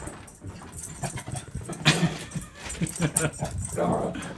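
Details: Pet female dog, overjoyed at her owner's return from a trip, lets out short excited whines and yips indoors, with one louder yelp midway; a person speaks over her.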